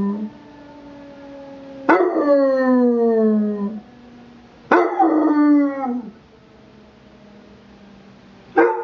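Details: A Basset Hound puppy answers a weekly emergency test siren with three howls, each opening in a sharp burst and sliding downward into a sustained, quavering cry. Between the howls a faint steady hum is heard.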